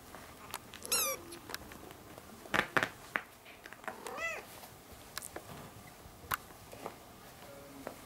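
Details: One-month-old ginger kittens with their young mother cat indoors, two short thin high-pitched mews several seconds apart, the first shrill and wavering, between scattered clicks, knocks and rustling.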